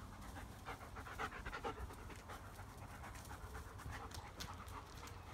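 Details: German Shepherd of a pack panting quietly and steadily, with rapid soft breathy huffs repeating through the whole stretch over a low background hum.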